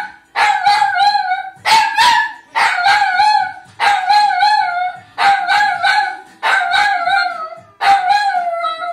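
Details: A dog "sings" in front of a television, howling in long, wavering cries that slide downward and repeat every second or so.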